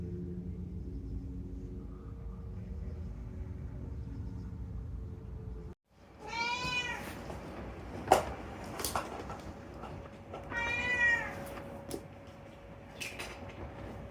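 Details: Talkative rescued house cat Unagi gives two clear, drawn-out meows several seconds apart, each bending up and then down, amid light clicks and knocks of a room and a soft steady hum.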